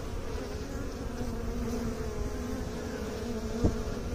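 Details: Honey bees humming steadily, a continuous buzzy drone with clear tones near 250 and 500 cycles, one brief sharp click at about three and a half seconds over low rumbling background noise.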